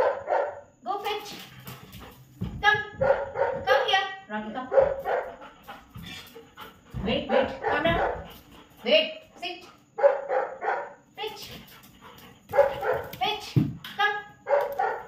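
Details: German Shepherd during obedience training, giving short sharp barks scattered through the session while a man repeats commands such as "leave it", "wait", "come" and praises with "good boy".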